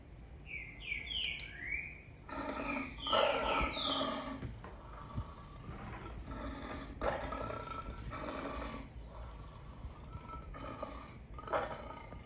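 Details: Lion giving a run of harmonic, moaning bursts, each about half a second long, repeated irregularly over ten seconds, with rapid descending bird chirps just before and during the first calls.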